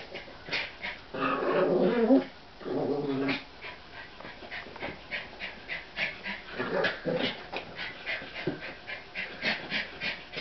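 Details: Brother and baby sister American Eskimo Dogs at play over a new toy; a loud sustained growl near the start, then rapid rhythmic panting and light scuffling noises.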